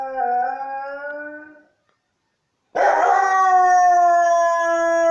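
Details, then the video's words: Siberian Husky named Hurley howling in response to church bells: a steady, tonal howl that fades out, a brief silence, then a louder sustained howl that slowly drifts lower in pitch. "Church-bells make him howl?"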